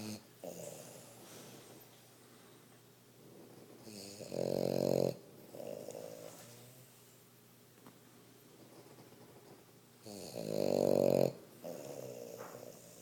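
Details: A blue male French Bulldog snores loudly, with rough, rattling inhalations about every six seconds.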